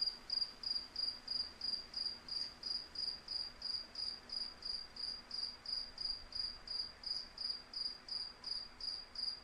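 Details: Rapid, regular high cricket chirps come about three per second against a soft wind-like hum.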